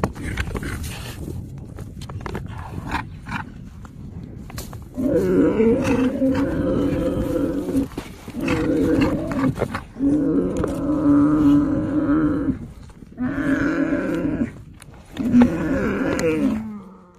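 A yak gives a string of deep, droning grunts, each lasting a second or two.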